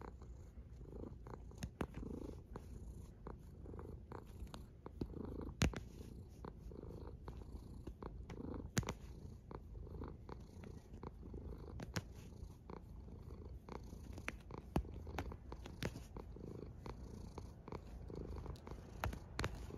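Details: Snoring cat heard as a continuous deep rumble with faint rhythmic breaths and frequent small clicks and ticks throughout.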